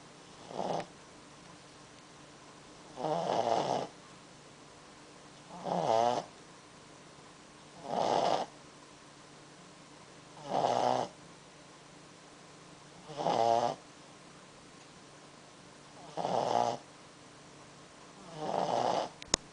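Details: A Pekingese dog snores steadily while napping, each rough, rattling breath coming about every two and a half seconds.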